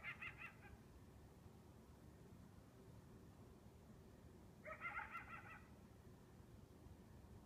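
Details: Single coyote yelping at 2 am on a warm, still summer night; a brief yelp at the start, then a longer quavering, rising-then-falling burst about four seconds later, faint above a low background rumble.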